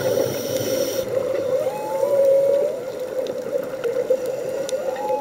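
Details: Humpback whale song heard underwater during a scuba dive off Hawaii: drawn-out tonal moans that rise and waver, over a steady droning hum with faint clicks and bubbling water.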